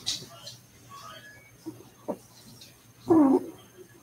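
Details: Cavalier King Charles Spaniel puppies playing indoors in a home puppy pen, with a short loud whining yelp near the end and faint squeaks earlier, over a steady electrical hum in a quiet room.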